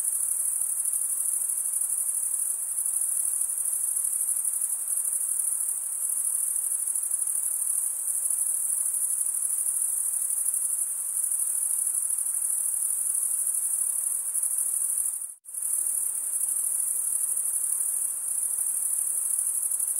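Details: Stridulating male crickets in a continuous piercing high trill that drops out abruptly for a split second near the end, then resumes at the same steady level.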